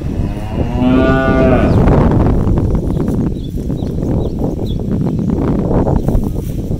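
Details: Cows roaming an empty rice field on a farm, grazing freely for grass; one long harmonic moo rises and falls over about a second early on, followed by steady low rustling, chewing and trampling noise, with faint chirps of small birds.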